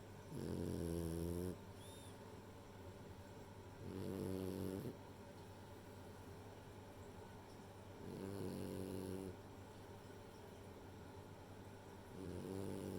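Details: Sleeping female French Bulldog named Rei snores in a slow rhythm, four buzzy, rattling inhalations of about a second each, arriving every four seconds over a soft background hum.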